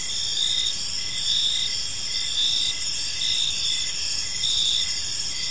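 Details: Evening cricket chorus in a park: rhythmic high-pitched chirp bursts about once per second over a continuous shrill buzzing background.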